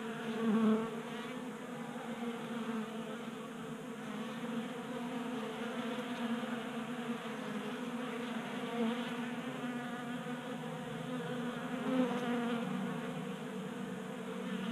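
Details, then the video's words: Many honey bees feasting at a 3D printed bee feeder on a workbench in a Colorado garage, January, unseasonably warm at 60 degrees: continuous layered buzzing drone, a few louder passes as individual bees fly close. "Honey Bees Feasting from 3D Printed Bee Feeder"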